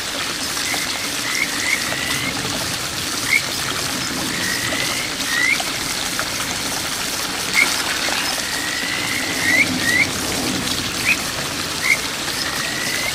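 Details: A Kajika frog at a small village stream in the Boso area in June 2023 gives short, clear, bird-like rising whistles over the steady rush of the water.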